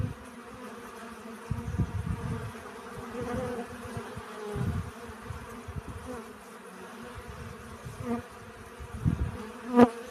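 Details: Pollen-gathering honey bees give a continuous low hum, broken by rumbling low bursts that sound like wind or handling noise. A brief bee buzz passes close near the end.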